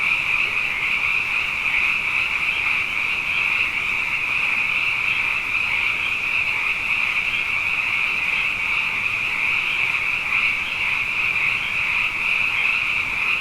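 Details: A nighttime frog chorus after two wet years in a row, the frogs plentiful: a continuous high-pitched trilling band, many callers blending into one steady shimmering wall of sound for the whole stretch.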